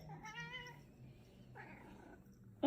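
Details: Female Ragdoll cat indoors meowing to her owner to show what she wants: one clear harmonic-rich meow lasting about half a second, then a shorter second meow, with quiet room hum underneath.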